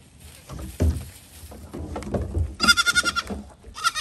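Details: Goats hopping onto a small boat. Knocks and thuds lead into a loud, fast-trembling, quavering bleat, followed by a shorter second one.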